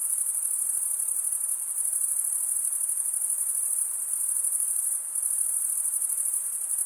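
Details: High buzzing cricket trill running without a break, dipping briefly in volume near the end, over a faint hiss.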